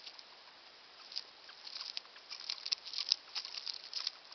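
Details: Fufu, a pet male hamster about one year old and described as a little old, eating; rapid, irregular crisp crunching and nibbling clicks, some tiny high ticks, against a quiet background.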